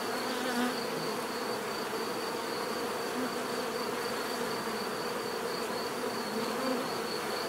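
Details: Many bees humming together in a continuous drone, with individual bees buzzing past closer and louder a few times, over a steady thin high-pitched whine.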